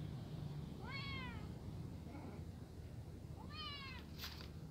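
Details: A brown kitten, frightened beside adult cats eating, gives two clear rising-then-falling meows about two and a half seconds apart, with a faint softer call between them, over a low background hum and a brief clatter at the end.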